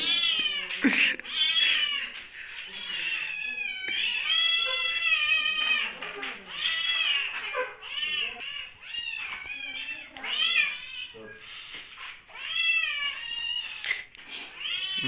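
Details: A group of hungry kittens crying without pause during lockdown, with many overlapping, drawn-out meows, some bending up and some dropping, in a dense chorus; a man speaks to them in Hindi, asking what is wrong.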